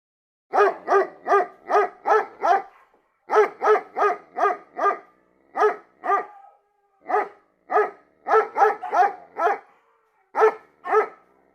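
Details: A dog barks rapidly in bursts of four to six sharp, mid-pitched barks, with short pauses between runs, about a dozen seconds of steady barking.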